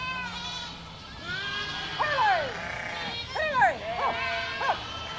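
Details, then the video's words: Herd of goats: a low drawn-out bleat at first, then several short, sharply rising-and-falling cries in quick succession, each with a shaky, vibrating quality. "Herd of Goats Sound Effect"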